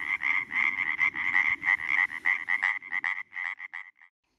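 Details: Chorus of European tree frogs calling in their spawning water to court females, each call made by abruptly pressing inhaled air into the vocal sac: rapid, loud, rattling pulses repeated about three per second, slowing and fading toward the end.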